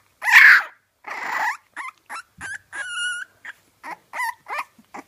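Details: Young French Bulldog puppies giving a run of short high whines and yelps, one drawn-out tonal squeal in the middle, the calls coming in quick separate bursts.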